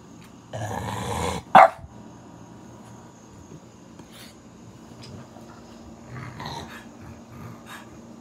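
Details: French Bulldog at home giving a rough, throaty growl of about a second, then one sharp loud bark, followed by quiet snuffles and faint grumbles against a low steady hum.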